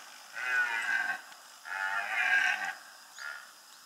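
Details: A red deer stag during the 2015 rut in the Bieszczady Mountains, Poland, gives deep, throaty roars: two long bellows and a brief third.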